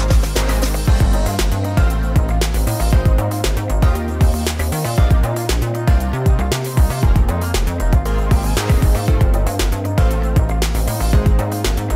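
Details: Loud electronic funk-style music with a heavy, steady bass beat and dense percussion throughout; no animal voices.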